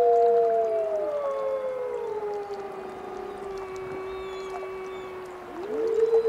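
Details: Several wolves howl in chorus, with long drawn-out tones gliding slowly downward and overlapping. A new howl sweeps sharply up near the end against a faint hissing background.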